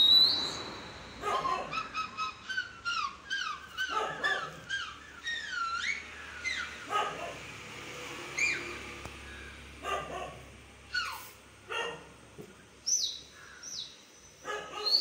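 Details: Indian Spitz puppy reacting to a sound, giving a rapid run of high-pitched yips and squealing whimpers, many sliding up and down in pitch, packed closely with brief pauses over a quiet background.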